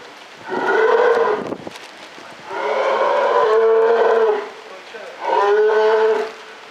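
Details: Captive polar bear vocalizing at Maruyama Zoo in October 2013, three long, low, droning moans lasting one to two seconds each, separated by brief pauses, with a constant hiss underneath.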